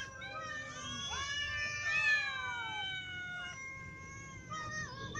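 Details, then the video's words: Several cats, including a ginger cat, little cats and adult cats, meowing from hunger; long overlapping wavering meows with rich harmonics, some rising then falling, several voices at once, faint low background hum. "Ginger cat , little cats and adult cats all meow because they are hungry"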